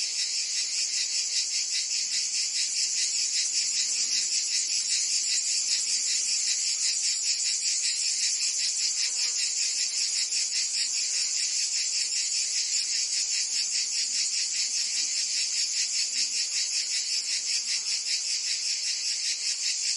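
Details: Cicadas of Provence, France, in summer: a thick, high, rasping chorus that pulses quickly and evenly for the whole stretch, loudness unchanging, a quiet faint murmur far below.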